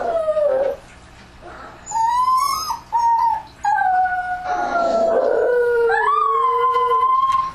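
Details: At night, dogs howl in chorus for an ambient recording, short yelping notes leading into long steady howls, two voices overlapping at different pitches, one rising at the end.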